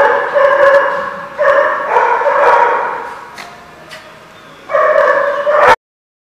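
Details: Dog barks in short clusters of harmonic barks with a quieter stretch midway, then a final burst ending abruptly in silence.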